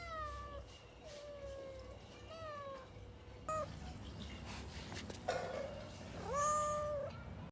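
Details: Pet cat mewing several times, early calls thin and quavering, then a louder, sustained meow near the end, set against a low rumbling background.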